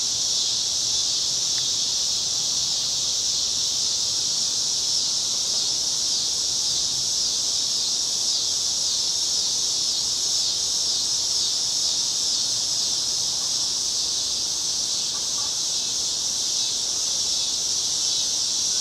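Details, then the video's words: Summer cicadas singing along a street in Chicago on a cloudy August evening in 2010: a continuous, dense, high-pitched buzzing drone, steady in loudness throughout, with no other clear sounds. "Chicago Summer 2010 Cicadas - Evening"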